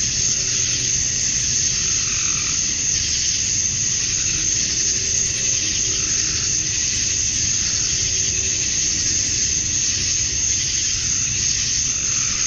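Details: Summer-dusk chorus of male cicadas in Georgia, USA, calling to attract females: a continuous shimmering high drone with gentle rises in intensity every few seconds over a faint low background rumble.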